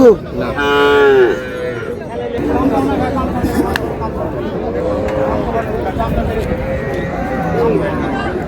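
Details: Cows with calves at Raniganj haat cattle market in Dinajpur, Bangladesh, on July 2, 2026. A loud, drawn-out harmonic moo rises and falls in the first second, then crowded bargaining voices carry on over market chatter.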